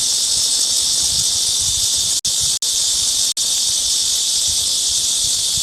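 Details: Midsummer cicada singing, a loud, steady, shrill buzz held throughout with no change in pitch, broken only by three very brief dropouts.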